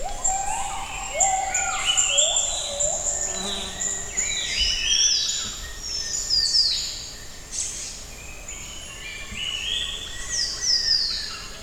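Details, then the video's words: Gibbons in morning song in the jungle at Camp Leakey, Tanjung Puting: overlapping whooping glides rise stepwise from low to high pitch, set among a dense chorus of high bird chirps and buzzy, pulsing insect tones. "Amazing Sound of Jungle at Camp Leakey By Gibbon"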